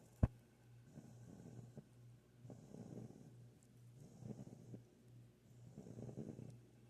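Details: A Rottweiler puppy, fast asleep after being picked up when she came over for attention, snores softly with rough rasping breaths repeating about every two seconds.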